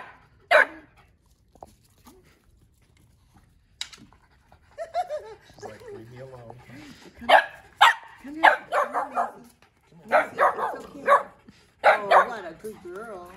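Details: A Boston Terrier puppy meeting a French Bulldog for the first time barks nonstop: short, bright yaps, single or in rapid clusters of two or three, with whiny, wavering sounds and human voices between.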